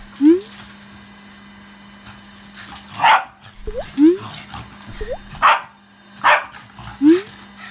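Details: Shiba Inu indoors, upset by a vacuum cleaner working because of it: sharp, short barks mixed with rising, whistly yips and whines, scattered every second or so over a steady low vacuum-cleaner hum.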